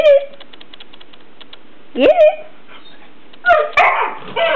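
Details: Border Collie at play with its new toy chicken Henrietta, letting out a rising, yelping whine followed by a few sharp, rough barks with brief quiet gaps between sounds.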